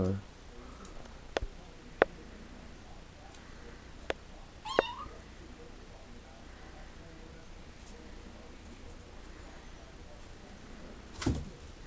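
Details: Six-week-old male stray kitten, born to a stray cat and newly adopted, kept overnight in a bathtub indoors, gives one short rising meow with bright harmonics amid scattered clicks and taps in a quiet small room.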